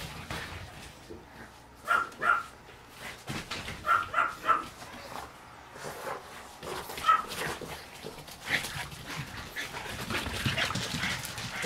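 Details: Pomeranian and French Bulldog at home squabbling over stolen slippers: short, high yips and barks in quick clusters early on, then scuffling and rustling noise, with music playing in the background.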